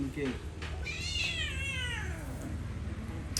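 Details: Hungry domestic cat around a rice meal gives a single drawn-out meow that rises and then slowly falls over about a second, with Khmer speech and household noise around it.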